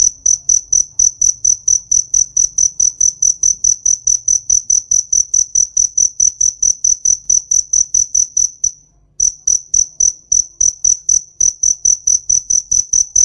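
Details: Cricket in a summer field producing a continuous train of piercing high chirps, evenly spaced and fast, with one short pause midway and a faint low hum behind.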